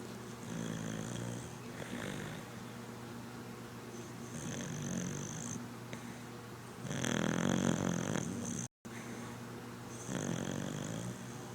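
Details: Red cocker spaniel named Sadie snoring while asleep, loud rasping breaths with low rumbling inhalations and hissy high tones, in slow repeated cycles every couple of seconds.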